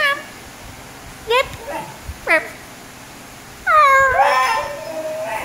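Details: Basenji dog talking back to its owner indoors: two brief rising yips, then a longer wavering, yodelling whine that trails off, in a quiet room.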